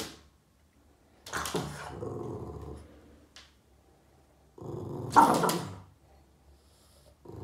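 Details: Yoda the Boston Terrier grumbles at shadows he chases along the wall; two separate throaty growl spells, each about a second long, rise into a breathy snort, with quiet stretches between them.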